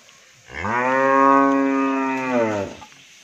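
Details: Sahiwal-Brahman cross bull, improved breed, up for sale at a Bangladeshi dairy farm, lets out a single rich, rounded moo of about two seconds that swells and then fades, in a quiet setting.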